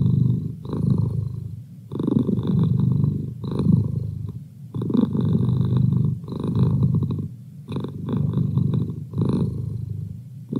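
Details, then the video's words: A male house cat purring close up: a deep buzzing rumble pulsing in rhythmic waves with short breathing gaps between them, about seven cycles, nothing else audible. "Cat Purr"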